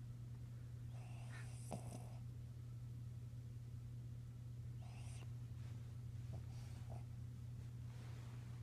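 A Cavalier King Charles Spaniel snorts in rough, airy bursts, one group early on and several more a few seconds later. A constant low electrical hum runs underneath throughout.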